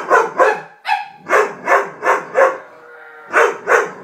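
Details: Dobermann giving a steady run of about nine loud, punchy barks in quick succession, one short higher yelp early on and a faint sustained tone in a pause before the last two barks.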